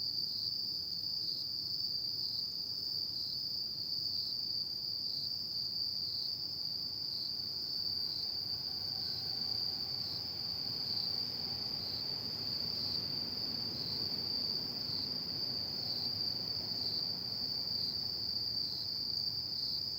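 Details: Insects singing on an autumn night: a steady, unbroken high-pitched trill that holds one even pitch throughout, with a faint higher ringing tone above it and a low, soft background hum.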